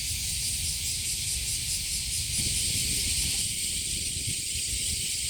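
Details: Cicadas in summer at Kasai Rinkai Park, Tokyo, Japan: a dense, unbroken high-pitched hissing drone with steady loudness and faint pulsing, over a low rumbling background.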